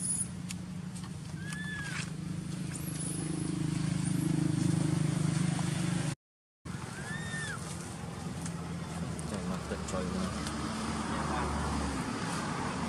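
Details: Baby monkey Poppy crying in a temper, angry after alpha monkey Tara took her: two short, arched, whistled wails several seconds apart, masked by a steady low rumble like traffic and broadband background noise outdoors.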